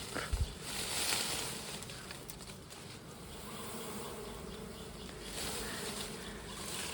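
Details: Honey bees buzzing during a honey harvest: a steady, low, droning hum runs throughout, with brief thumps and rustling handling noises near the start.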